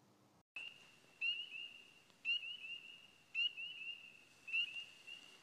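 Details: Spring peeper (Pseudacris crucifer) on Signal Mountain, Chattanooga, Tennessee, where it favours places with trees and water together. It gives clear, high, rising peeps about once a second over a steady ringing chorus. It calls February through summer, best in early spring.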